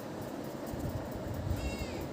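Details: Kitten answering its owner with a short, thin meow near the end that bends slightly upward then down, quiet against a steady low rumble, after a woman speaks Tamil to it.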